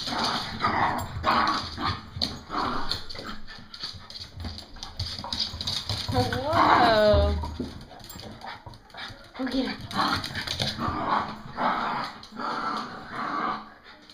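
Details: Puppies at play, tongues hanging out. A high, wavering whine-yelp stands out midway, with scattered soft yips and scuffling around it. Excited human voices talk over much of the scene.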